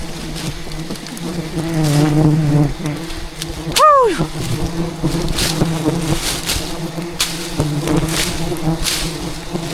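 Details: Angry wild bees attacking during a rainforest honey harvest, defending a giant hidden hive; dense low humming drone throughout, with one brief falling whine near the middle and scattered knocking and rustling.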